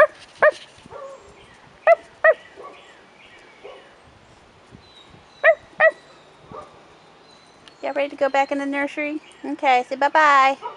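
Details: On their first time outside, 4.5-week-old Rottweiler puppies let out scattered sharp little yips, then a loud run of rising, strained whining cries near the close.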